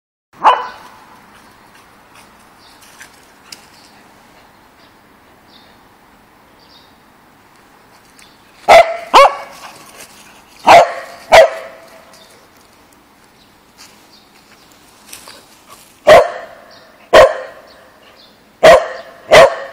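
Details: Pembroke Welsh Corgi playing in a park, barking in loud, sharp bursts, mostly paired barks half a second apart and separated by several seconds of quiet.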